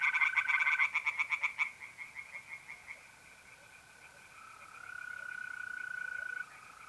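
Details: Tree frogs at a pond in north-east Italy on an April night: a short burst of rapid pulsed croaking that breaks off after under two seconds, leaving a continuous mole cricket trill.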